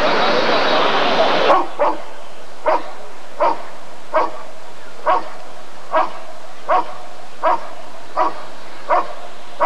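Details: Rottweiler at the 1994 ADRK Körung breed survey, barking in a steady series of short, deep, punchy barks about every 0.8 seconds after a loud burst of broadband noise in the first second and a half.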